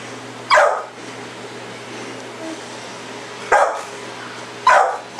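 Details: Pit bull chasing a red light in the yard at night: three sharp, short barks, the first near the start and two close together near the end, with quiet pauses between them over a steady low hum.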